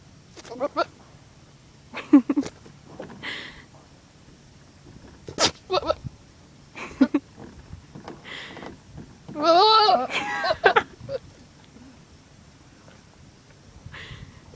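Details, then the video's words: Goat making funny noises: a string of short, nasal bleats and snorts, then one long, wavering, quavering bleat near the middle, followed by quieter scattered calls. "Goat making funny noises"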